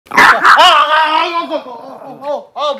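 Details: Pet dog reacting to her owner pretending to be hurt, voicing a loud drawn-out whining grumble that wavers and falls, ending in two shorter rising-falling moans.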